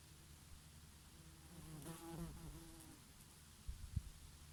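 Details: Bees grazing on oregano flowers in summer; a buzzing drone swells and dips as an insect passes close between two and three seconds, over a low rumble of summer breeze and a few soft knocks near the end.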